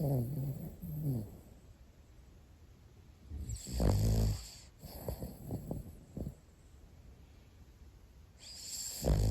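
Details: Pomeranian brothers asleep as house pets; one snores loudly with rattling, irregular low snorts and gurgles, several bursts in quick succession then a pause before another heavy snore.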